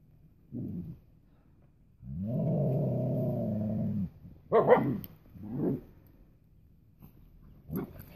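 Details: Young female Siberian husky playing outside in the snow for the first time with her husky brothers; a low two-second growl-like howl, then short sharp barks and yips spaced irregularly.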